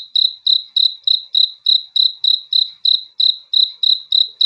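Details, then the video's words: Cricket heard at night with a regular train of shrill, tonal chirps, around three each second, evenly spaced and strong against a quiet background. "THE SOUND OF CRICKETS FOR RELAXATION TO SLEEP AT NIGHT"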